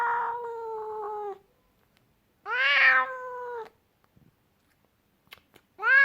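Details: Angry house cat voicing three drawn-out, moaning meows: a long flat opening cry, then a louder bent call that rises and falls, then the start of another, with silence in between.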